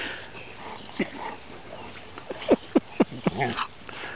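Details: Chocolate Labrador puppy Bailey, seven months old, wrestles with Vaska, a 20-month-old Ridgeback. A quick run of five or six short, sharp yelps sounds over roughly two seconds after a lone early squeak, above low room noise.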